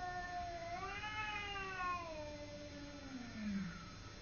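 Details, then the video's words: Domestic cat Simba in a fight with the neighbour's cat, giving one long harmonic-rich yowl that swells in pitch and then sinks into a low, drawn-out moan, over a constant low hum. "Simba fighting with neighbour cat"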